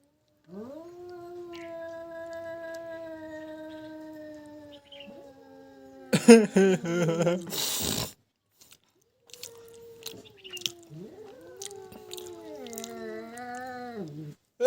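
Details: Pet cat in a standoff with a stray cat, loud drawn-out yowling meows, long steady tones that waver and fall, with a brief burst of scuffling noise midway and human laughter.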